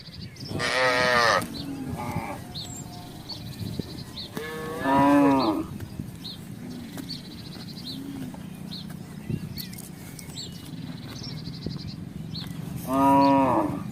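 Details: Herd of village cattle wandering through a housing estate looking for grass and water; three drawn-out, rich moos spaced several seconds apart, the last two rising then falling, with birds chirping and twittering throughout between calls.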